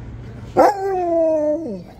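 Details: An excited Siberian Husky at a busy daytime Christmas market in Manchester gives a short, sudden howl that holds steady, then slides downward at the end.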